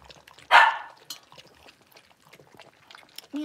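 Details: In a home puppy pen holding five six-week-old blenheim Cavalier King Charles Spaniels, one puppy lets out a single sharp yap, followed by quiet rustling and a brief low voice at the end.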